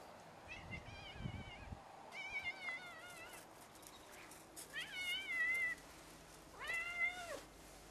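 A Birman cat gives four wavering, high meows, spaced about two seconds apart.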